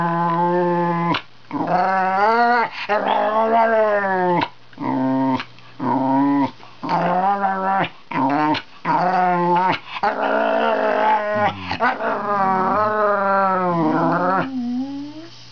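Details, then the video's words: Male Wire Fox Terrier indoors, talking to his owner sitting at the computer; drawn-out, wavering whines and moaning growls in bursts of one to two seconds, rising and falling in pitch, with brief pauses between. "Harley Wire Fox Terrier speaks his mind"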